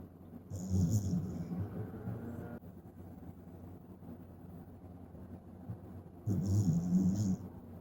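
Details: Tsukune, a Shiba Inu puppy, asleep and giving a gruff, old-man-style snore: a rough, rattling inhalation lasting about two seconds, a long quiet pause, then another throaty snore starting just after six seconds.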